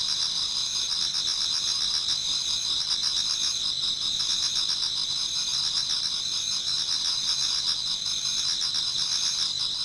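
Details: Towards dawn in autumn, a Japanese garden full of singing insects: constant high, thin trilling from many callers, with a lower buzzy pulse repeating rapidly and evenly across the whole stretch.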